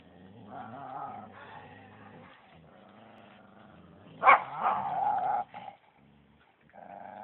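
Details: At Phuket Dog Resort, Samoyed XASCA and Thai-mix FELIX are out walking as a dog makes drawn-out, wavering moaning growls, with a sudden louder yelp-like burst midway, brief pauses, then another low moan.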